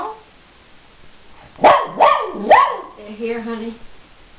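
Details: A dog, angry after being outsmarted in a test of its wits, lets out three sharp barks about half a second apart, then a lower, steady whining tone, with a person's voice nearby.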